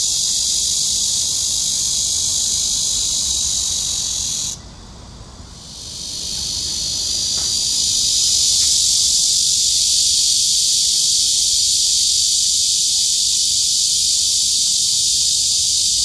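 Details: Cicada song: a dense, unbroken high-pitched hiss-like buzz that drops out briefly around five seconds, then swells back gradually to full strength and holds steady.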